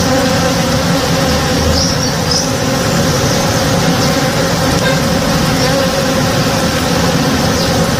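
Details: Morning backyard chorus of honey bees at a blooming tree: a continuous, even buzz of overlapping low tones holding steady throughout, with a few soft distant chirps high overhead.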